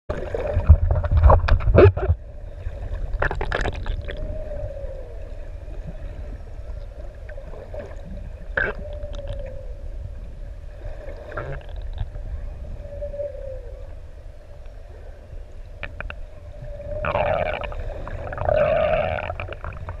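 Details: Six adult humpback whales playing in the deep open sea off ʻEua, Tonga, recorded while swimming nearby: drawn-out mid-pitched moans recur every few seconds between bursts of crackling and splashing water noise, with a louder moaning phrase near the end.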